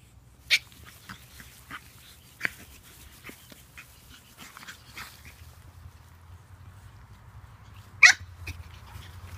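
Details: Playing pug puppies let out two sharp, high yelping barks, one early and one near the end, with quieter squeaks and snuffles between them over a faint low hum.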